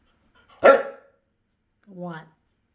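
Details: A female Siberian Husky gives a single sharp, harsh bark, then a brief tonal vocal, asking to play ball.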